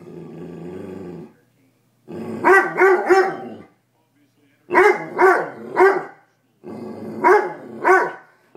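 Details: Toby, a house dog frightened of a raw chicken foot given to him for the first time, growls low and steadily in a basement. Then he breaks into loud barks that come in quick clusters of two or three.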